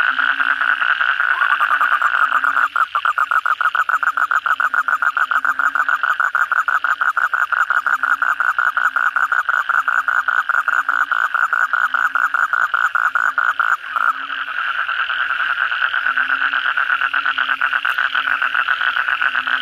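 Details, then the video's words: After heavy rain at night, a crowd of Asian common toads calls in a rapid, unbroken rattle of pulses that swells and dips slightly, over a low repeating hum. "suara kodok bangkong pada gacor setelah hujan lebat malam hari"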